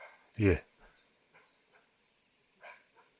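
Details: Barking deer, known locally as kakad, calling from the jungle close by in leopard country of Rajaji National Park: a single loud, short, harsh bark that drops in pitch, followed by faint softer sounds and quiet human voices.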